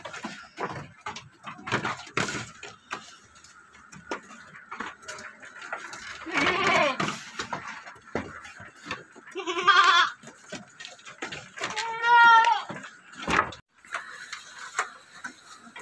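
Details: Goats kept on an Indonesian farm, a doe with her one male kid; a few wavering bleats around seven, ten and twelve seconds amid shuffling, knocks and faint voices.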